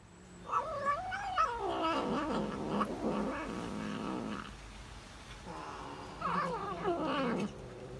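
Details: While eating cheese, a tabby cat hums and groans in long, wobbling harmonic phrases that dip and rise, with a second shorter warbling burst after a brief lull.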